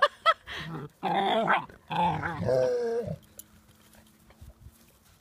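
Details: Female puppy playing with her father, another dog. Two sharp yelps open, followed by three bursts of harmonic, wavering growl-whines over about three seconds. A faint low hum and a few soft taps follow in the quieter end.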